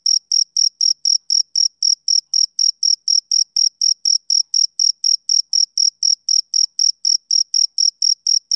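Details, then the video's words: A male cricket chirps rhythmically, giving crisp, very high pulsed notes about four times each second with clockwork regularity. Nothing else is audible. "Cricket Chirping"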